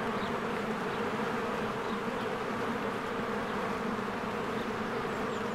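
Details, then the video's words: A springtime beehive with swarms of bees coming and going gives off a thick, continuous drone. The low humming buzz stays even throughout, with a few faint, brief high notes above it. "1 Hour of a Beehive ASMR | A Spring Nature Ambience Sounds"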